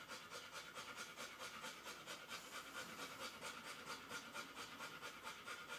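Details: Airedale Terrier litter: a pup one hour old naps while the mother nurses another puppy. Rapid, breathy panting pulses steadily about twice a second, hissy and even throughout.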